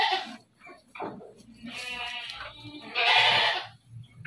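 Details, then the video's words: Bleating from dairy goats kept on a Bogor farm: drawn-out, quavering calls, one long cry near the middle and another loud one toward the end, amid short softer noises. "KAMBING PERAH"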